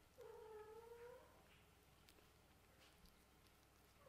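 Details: Indoor kittens of a Scottish Fold and British Shorthair litter playing with a toy ball; one clear, drawn-out mewing cry lasting about a second, then quiet with soft rustling and small taps.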